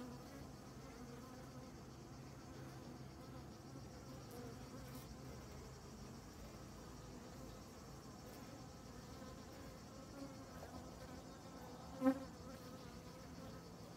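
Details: Honey bees on honey-filled comb; a softer, even hum of many bees with faint harmonic bands, steady throughout, and a single sharp tap near the end.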